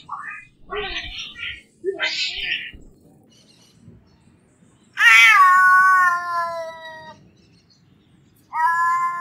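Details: Angry domestic cats in a fight: two short rough squalls, a pause, then a long loud wailing yowl falling in pitch, followed by another rising yowl.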